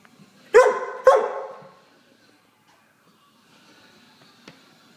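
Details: A very hyper female Hungarian Vizsla gives two loud, sharp barks about half a second apart, then falls quiet.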